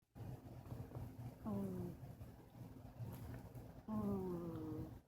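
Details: Two-year-old female Chihuahua snoring in her sleep: two whistly, slightly descending tones with faint harmonics, the second longer, over a soft rumbling room hum.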